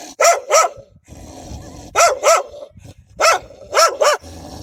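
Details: Several wild dogs fiercely defending their pups, giving loud, frightening barks: three quick double barks, each pair sharp and ringing, spaced about a second and a half apart over a low, rumbling background.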